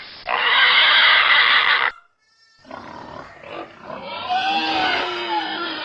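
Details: Pig letting out a loud, shrill squeal lasting nearly two seconds. After a brief pause come rougher, wavering squealing cries that build again.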